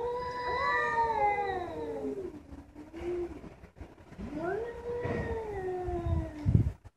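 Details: House cats trading calls: a long, slowly falling drawn-out yowl, a pause, then a second rising and sliding moan, with some low background rustling.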